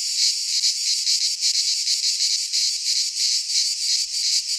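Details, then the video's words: In a Greek pine forest during midsummer, cicadas keep up a loud, grating buzz that swells and dips in quick regular beats, about three per second, continuous from start to end. "Cicadas singing in midsummer - Nature sounds from the Greek fauna - Sounds of cicadas"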